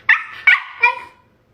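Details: Dog vocalizing while performing a high five trick: three short, whiny yelping notes in quick succession, the last one drawn out and falling away into silence.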